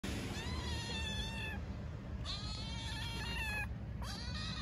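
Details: Hungry stray mother cat and kitten meowing loudly in Istanbul: three drawn-out, tonal meows, the first about a second long, the last short and rising, over a constant low rumble of street noise.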